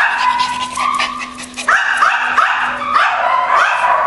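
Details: Schipperkes barking: a steady stream of shrill, yappy barks and rising yips, tightly packed with brief dips, keeping up throughout the short stretch.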